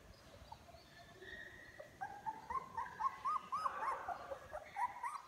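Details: ['A litter of young puppies, now walking more and calling more loudly, filmed 24 February 2022: quiet at first, then a rapid string of short squeaky yips and whines, several per second, overlapping one another.']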